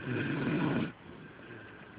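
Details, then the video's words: Delilah, a pet dog, snores in her sleep, as loud as a human: one rough, rasping breath-noise lasting under a second, heavy in the low range, then a quiet stretch with faint room hum. "My Delilah Snoring"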